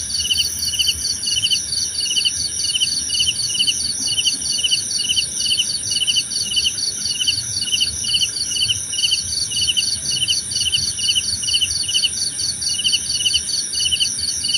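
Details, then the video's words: Crickets, offered as relaxing nature sound for sleep and meditation, chirp in steady pulsed trills, several overlapping callers repeating short bursts continuously with a dense high whine beneath and no other clear sounds. "Suara Jangkrik Membahana!"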